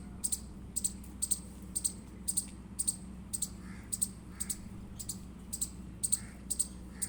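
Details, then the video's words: Indian squirrel chirps: rhythmic high-pitched chips, around fourteen, evenly spaced, with occasional soft lower murmuring notes between them and a faint steady hum. "Indian Squirrel Chirping Sound Effect"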